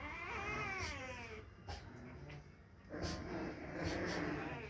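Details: A female Rottweiler puppy gives high, wavering whines that rise and fall, with a human voice nearby.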